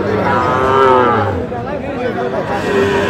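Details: Sahiwal bull calves at a cattle market in Kurigram, Bangladesh, on 9 November 2025: a loud, drawn-out harmonic moo lasting over a second, then a shorter one near the end, over constant crowd chatter.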